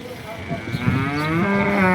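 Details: Horned local cow of Banaskantha, in her first lactation and giving nine liters of milk, lets out a single drawn-out low moo that rises slightly in pitch over two seconds, with faint background noise.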